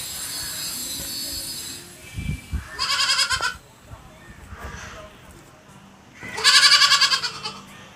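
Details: Goat bleats in two loud, quavering, pulsed bursts about three seconds apart, each lasting around a second, with low thumps and soft background noise between them.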